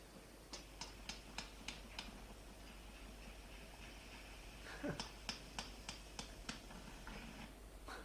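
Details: Sperm whale (Physeter macrocephalus) coda recorded at the Galapagos Islands, Pacific: the "6R" type, two runs of six evenly spaced sharp clicks, like quick knocks.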